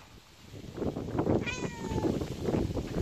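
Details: A cat gives a single meow, drawn out and gently falling, over steady background noise and soft low rumbles.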